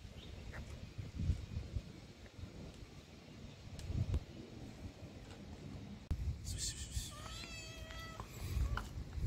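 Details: Hungry stray cat on a street in Morocco, being fed: one drawn-out, harmonic meow rises near the end, over low rumbling background noise, scattered handling clicks and brief sounds of people.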